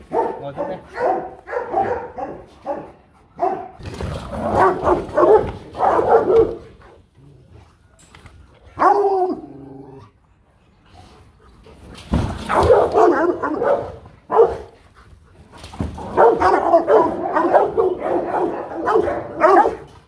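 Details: Rottweiler guard dogs from a Vietnamese kennel barking in bursts, several dogs together, with gaps of quiet between volleys; a handler's voice and background music are heard.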